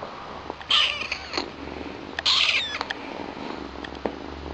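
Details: Domestic kittens, a pair of new siblings named Chilli and Pepper, one a young queen with white markings and the other all black; two loud, high, harmonic meows about a second apart, each falling slightly at the end, over a quiet indoor background.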